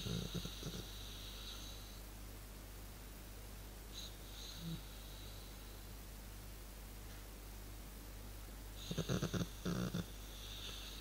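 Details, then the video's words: A relaxed dog chilling indoors makes a funny noise: low, rough snoring snorts in short bursts near the start and again toward the end, over a steady low hum with faint hissing in between. "Dog makes funny noise when he is chilling"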